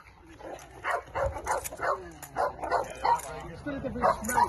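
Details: Belgian Malinois in decoy training: rapid run of short yipping barks, roughly three per second, uneven and excited, with voices and some background noise underneath.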